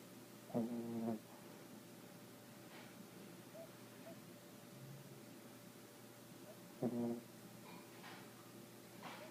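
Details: Sleeping young female dog snoring indoors, two short buzzy harmonic snores about six seconds apart over a quiet steady background hum.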